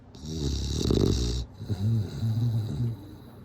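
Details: A sleeping bulldog snores: a long rough rattling inhale with a hissy top, then a short gap and a series of lower droning, humming exhalations wavering slightly in pitch.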